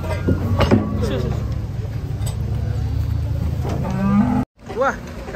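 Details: Cattle coming down from a truck during unloading. Short rising lows around the middle and end, cut by a brief dropout, over a continuous engine hum and some voices.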